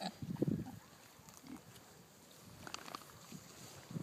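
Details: Kunekune pigs, heritage purebred livestock, grazing on grass outdoors and coming up to the keeper. A short burst of low, snuffling grunts opens the recording, followed by quieter chewing and rustling and a soft grunt at the end.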